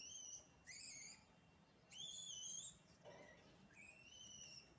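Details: High, clear whistle-like monkey calls from naughty village monkeys, in four separate bursts about a second apart, each a steady or slightly rising tone with bright overtones, over quiet rural background noise.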